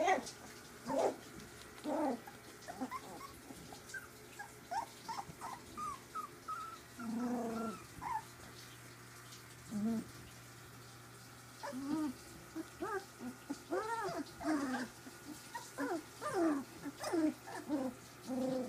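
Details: Three-week-old puppies from Ziva's litter tussle in play, mixing low rough growls with arching whiny yelps in uneven bursts, a quiet gap midway before the squabbling resumes.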